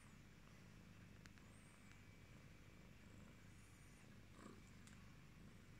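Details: British Shorthair cat with a yellow coat, indoors as a pet, purring in a low, steady rumbling throb that continues unbroken through the clip, quiet and close, with faint background hum and a few soft clicks.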